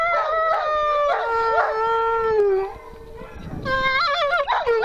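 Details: A female grey wolf at a wolf sanctuary howls in drawn-out, mournful notes that slide and waver in pitch, with one long falling howl in the middle and brief yipping breaks and a short pause between phrases.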